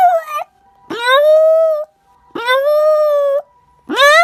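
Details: A dog between naps lets out repeated howls, each rising sharply then holding a steady, clear pitch for about a second before breaking off, three in quick succession.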